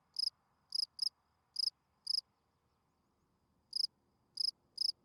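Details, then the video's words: Field cricket, described as a spring field cricket, singing at night; its calling song attracts females. Short, bright, pulsed chirps come in uneven bursts, about eight in five seconds, with a pause of more than a second midway, over a quiet low background. "Field Cricket chirping"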